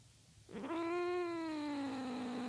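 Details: Angry cat giving one long, drawn-out tonal yowl lasting about two seconds. It begins abruptly, holds a steady pitch, then slides slowly downward, with rich harmonics and a quiet background.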